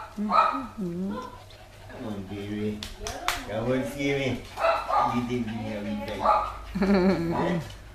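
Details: Chai Si, a Thai pet dog, greets a loved family member returning after almost two years in May 2012. It makes a run of bending, moaning vocal phrases that sound like talk, while people speak close by in a small room.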